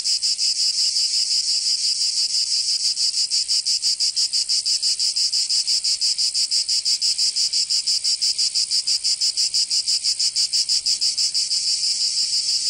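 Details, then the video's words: Cicadas singing in summer in Provence, southern France: a dense, high, shrill buzzing chorus that pulses steadily about three times per second without pause. No other sounds. "Canto Cigarra 🦗 [ Escuchar les cigarras en verano"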